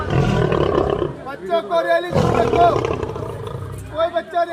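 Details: A lion at a zoo in Delhi, described as aggressive, gives deep, rumbling roars, with human voices talking between them.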